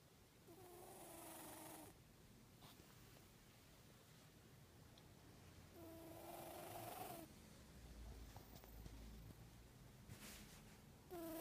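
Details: Odie, a 14-year-old cat with a scar on his left nostril, sniffling loudly like a trumpeting baby elephant: two long, nasal, whistling snorts with a tonal, honking edge, separated by several seconds of quiet breathing.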